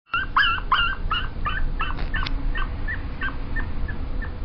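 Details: Pomeranian dog giving a rapid run of short, high, tonal whimpering yelps, roughly a dozen notes about three per second, loudest at the start and fading toward the end, over a steady low background rumble.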